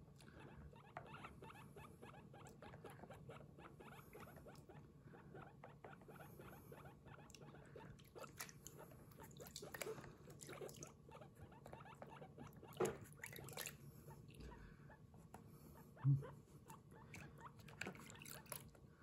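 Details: Pet guinea pig Kurumi at bath time, giving 'puipui' calls while her body is washed; soft, quick pulsed squeaks chatter steadily throughout, with a few louder knocks and water sounds.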